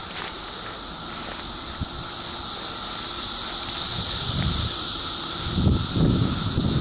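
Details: A 2013 cicada chorus makes a constant shrill whine that grows slightly louder toward the end, over low rustling and soft thumping sounds.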